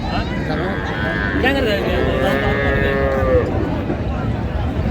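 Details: Cattle at Raniganj cattle market in Dinajpur, where cows and calves are traded, on 23/12/25: one drawn-out, steady, tonal moo lasting about two seconds, with people bargaining and talking loudly throughout.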